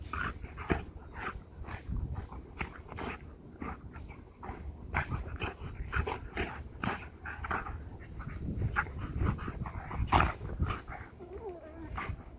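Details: Two dogs, a Belgian Malinois and a goldendoodle, playing together: rough low growls and huffs amid scuffling clicks and thumps, with a brief whine near the end.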